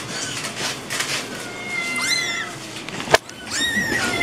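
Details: Kittens meowing: two thin, high, arching mews, one near the middle and one near the end, over a hissy background with a single sharp click between them.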